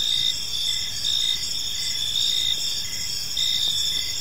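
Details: Cricket chirping in a park at evening: high continuous trilling with a lower pulsed chirp repeating about every half second, loudness gently rising and falling, faint low background noise.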